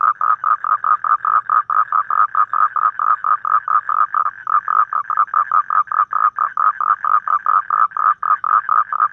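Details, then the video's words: Toad calling outdoors in the evening in Vietnam: a fast run of short, rasping mid-pitched pulses, evenly repeated several times per second, with one brief break near the middle. "Tiếng cóc kêu buổi tối ☆ sound of toad ☆ Tiếng cóc kêu ngoài tự nhiên"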